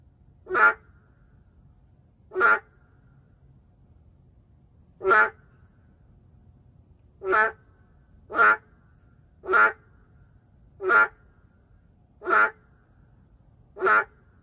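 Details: City-dwelling narrow-mouthed frog, an endangered species: nine brief, honking, quack-like calls, widely spaced at first and then coming about every second, over a quiet low rumble.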